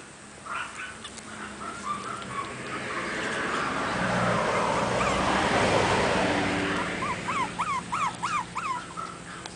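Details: Chihuahua at a breeder's pet shop in Kobe, Japan; faint whines early, a long stretch of broad rushing noise, then a quick burst of sharp, rising-falling yelping whimpers near the end.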